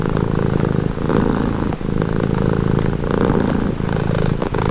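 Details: Close-up purring of a domestic cat, offered as relaxing sound: a continuous low, buzzy rumble with gentle surges on each in- and out-breath.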